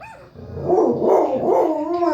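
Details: Pet dog howling along to a recording made to set dogs howling: a sustained, wavering mid-pitched wail building after a quiet start and holding steady for nearly two seconds.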